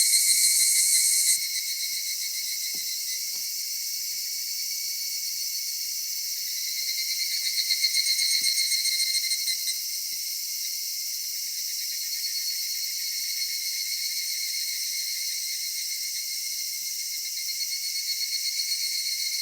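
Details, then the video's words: Cicadas singing on a summer evening in a cedar forest, a dense, steady high-pitched buzzing chorus with layered shrill bands; a louder burst opens the first second or so and a slight swell rises around eight seconds. "夏夕暮れ杉林 セミの鳴き声"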